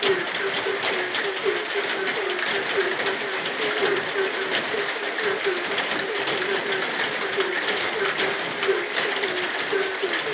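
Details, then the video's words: A rainy night brings a continuous run of quick, low frog notes that repeat evenly throughout, with the broad roar of steady rain behind them. "suara hujan dan suara kodok di tengah heningnya malam"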